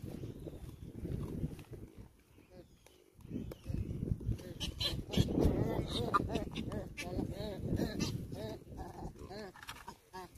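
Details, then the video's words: Wild African baboons fighting: a rapid series of harsh, arched, rising-then-falling calls crowding together in the second half, over rough low rumbling and scuffling noise outdoors. "The African Wildlife Baboons Fighting"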